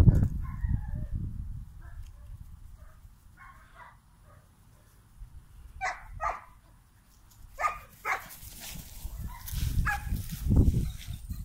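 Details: Two 9-week-old German Shepherd puppies, Storm and Steel, playing keep away: short, bright yips and little barks burst out in scattered clusters, mixed with low thumps and scuffling of their play.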